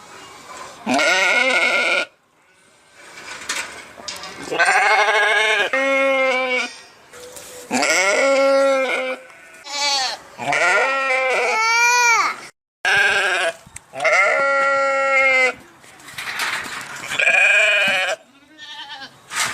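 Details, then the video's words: Repeated sheep bleats, several long quavering calls in quick succession over about twenty seconds, some rising and falling in pitch, harsh and nasal, with brief silences between. "صوت الخروف | the sound of the sheep"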